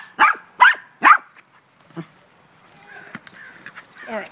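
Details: Gracie, a pet dog playing ball in light rain, gives three loud, sharp barks about half a second apart, then a faint yip, followed by a person speaking.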